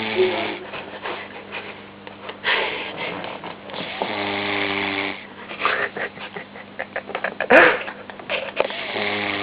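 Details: A baby Vizsla snores, each slow breath ending in a low, buzzing rattle.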